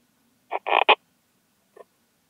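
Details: Slender bright bush-cricket, Poecilimon gracilis, at Hajnzgraben, Austria, on 19 August 2021, picked up with an ultrasound detector: a quick cluster of three short rasping chirps, then one faint chirp after a pause.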